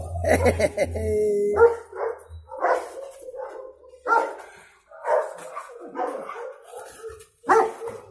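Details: Cimarrón Uruguayo dog barking at an intruder for the first time. A low hum opens, then sharp barks come roughly once a second, some doubled, separated by short gaps.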